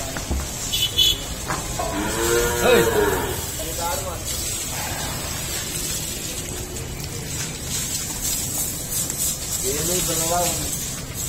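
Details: Jafarabadi buffalo, a nine-month pregnant milking breed on a dairy farm in India, gives drawn-out harmonic moos around two to three seconds in, a shorter one near four seconds, and another near ten seconds, with steady hiss and farm background.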